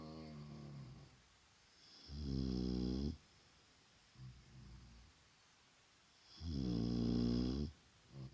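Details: Shar Pei named Vaya snoring during a daytime rest indoors: two long, low, harmonic-rich rasping snores about four seconds apart, with a softer breath between them.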